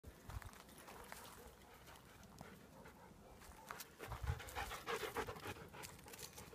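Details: Belgian Malinois panting: quick, breathy huffs at an uneven pace, soft at first and growing louder and denser after four seconds, over a low background rumble.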